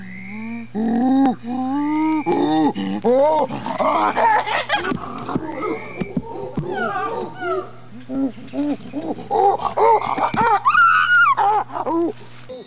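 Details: Chimpanzee pant hoot, a ventilatory display of strength and dominance: rapid series of arched, harmonic hoots and grunts, building in pitch and intensity to shrill screaming climax near the end, with a steady low hum underneath.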